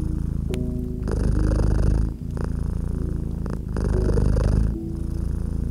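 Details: Cat purring near a crackling fireplace in winter ambience; low continuous rumble broken into breath phrases of about one to one and a half seconds, with quiet tonal music notes and scattered crackling snaps.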